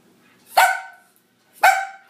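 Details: Four-month-old Chihuahua/Rat Terrier puppy barking while being coaxed to climb out of a cage: two sharp, high yappy barks about one second apart, each falling slightly in pitch, in a quiet room.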